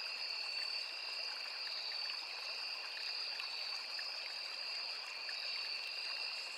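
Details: Continuous insect chorus of crickets in forest by a small river, a constant shrill ringing in two steady pitches that never breaks, with a gentle trickling stream hiss underneath.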